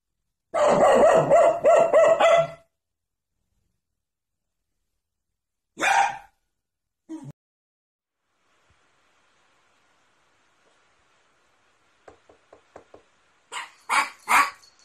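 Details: Poodle from a barking and howling compilation: a long sustained harmonic howl-like cry of about two seconds, then a few sharp isolated barks after silence, ending with a quick run of short yips and barks.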